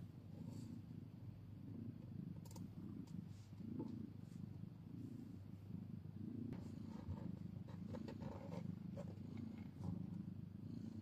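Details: Domestic cat, mother and newborn kitten in the first minutes after birth, old footage: a steady low rumbling purr runs throughout, with scattered soft clicks and rustles.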